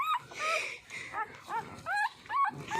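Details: Puppy drinking milk, with short, bent whimpering squeaks repeated about every half second in loud bursts, separated by brief quieter gaps.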